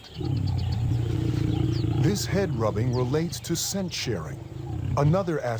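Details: Wild lions in combat, a steady deep rumbling growl with layered harmonics running nearly the whole stretch, rising into harsher snarls near the end, while a male narrator's voice talks over the top.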